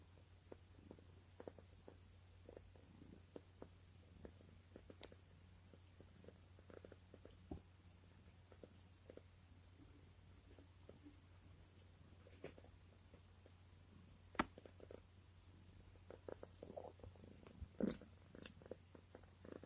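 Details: Low, continuous purring from Panda, a pet cat and former stray rescued with its mother and siblings, rolled over contentedly while stroked indoors. The purr is very quiet and steady, with light rustling and occasional soft taps.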